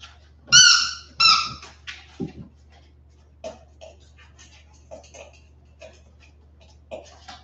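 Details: West Highland White Terrier puppies, 47 days old, on a livestream after an outdoor break: two loud high whining yelps with stacked harmonics open, followed by scattered soft squeaks and rustling shuffles indoors, with a low steady hum beneath.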